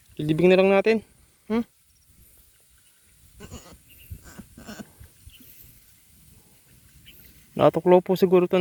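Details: Pet goat kid on a small farm, suspected of being bitten by a cobra, bleats in a quavering harmonic burst at the start and again at the end, with faint speech and rustling between.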